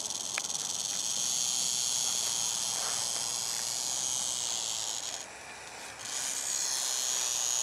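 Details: An eastern diamondback rattlesnake rattles at approaching people in 2009, a dense high-pitched buzz that briefly softens and thins about five seconds in, then returns at full strength.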